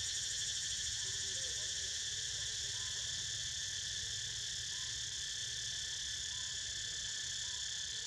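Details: Cicadas heard while Niko snoozes: a steady, dense shrill drone layered in several high bands, with a faint rapid pulsing throughout and soft low rumble beneath.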